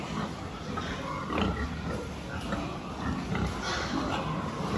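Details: Domestic pigs during a health check on 26 October 2023 give a few nasal grunting oinks, the clearest around the middle of the clip. A steady low machine-like hum fills the background.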